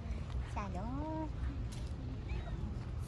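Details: Stray street cat being petted as several cats crowd in for attention; one drawn-out meow, rising then sliding down over under a second, with a man greeting it and talking in a steady low street hum.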